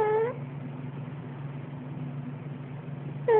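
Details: Cat snoring while having a nightmare: a brief whimpering, tonal meow-like cry opens and closes the moment, with a steady low droning rumble of snoring in between, indoors.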